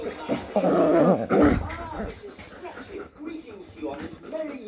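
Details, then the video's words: A German shepherd and a Jack Russell cross Chihuahua kept as pets 'talk': a loud, wavering, bending howl-whine lasting about a second, then softer murmurs, with a person speaking nearby. "furbabys talking furbabys language German shepherd and Jackrussell cross Chihuahua"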